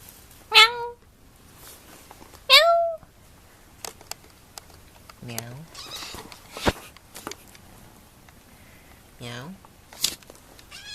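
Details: A kitten gives two loud, high-pitched meows two seconds apart, each bending down at the end, followed by lower, softer meow-like calls, clicks and a quiet room.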